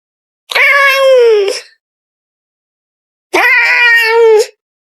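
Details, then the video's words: Sassy pet cat talking back to her owner: two long, harsh, whining meows about three seconds apart, each held for about a second, in a quiet room. "Cat Can’t Stop Arguing with Her Human"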